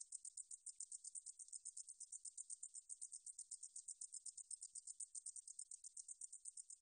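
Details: Korean Deungjul-eori-ssaekssaegi katydid song from the National Institute of Biological Resources, 2020: shrill, rhythmic pulsing buzz held steady throughout, nothing else audible.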